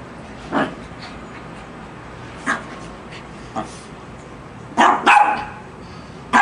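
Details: A Lhasa Apso in a "battle" with a shark gives sharp, high barks at irregular intervals, with a quick double bark near the end.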